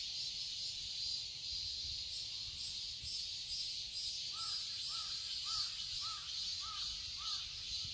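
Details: In a garden in Seoul, Korea, in summer, cicadas fill the air with a steady, high, hissing drone while a bird calls briefly in the background.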